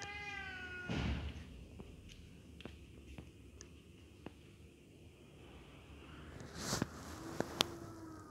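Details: Aggression between sibling cats: a brief wavering yowl cut off by a scuffling burst, a stretch of quiet ticks, then a sharp hiss-like rush and a low, drawn-out growl near the end.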